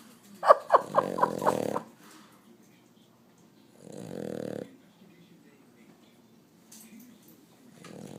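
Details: Sleeping dog snoring loudly with her eyes open: a burst of rough, growly snorts with short squeaky notes, then a softer drawn-out snore a couple of seconds later and another starting near the end.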